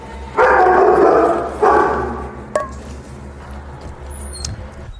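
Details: Young female German Shepherd, reactive on leash, barking at a trainer's arrival; two long, harsh, forceful barks followed by a short yip and fading room hum.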